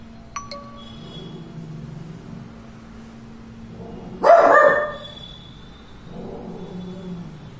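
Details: A Shih Tzu, reacting to its owner's artwork, gives a single sharp, harsh bark after a soft chime-like ring.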